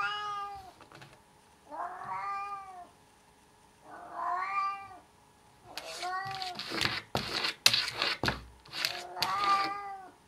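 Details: Domestic cat giving drawn-out, wavering meows, three spaced calls about two seconds apart, then louder meows mixed with harsh, noisy bursts and clatter in a small indoor space.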